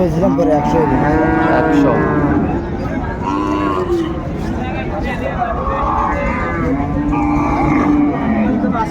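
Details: Cows with calves for sale at Ambari cattle market, Dinajpur, Bangladesh, 24 May: repeated harmonic moos, some rising then falling, sound through the clip over constant crowd noise and men's voices haggling over prices.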